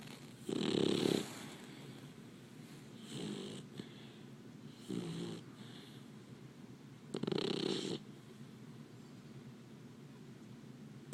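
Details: Snoring Labrador Retriever pup while sleeping: four rough snore breaths, two strong and two softer, unevenly spaced over about eleven seconds against a faint indoor hush.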